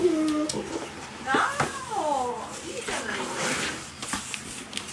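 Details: Golden retriever puppies, 46 days old, indoors with an older dog caring for them. Several high, tonal whines and yelps, some sliding downward, rise over faint household noise and small clattering sounds.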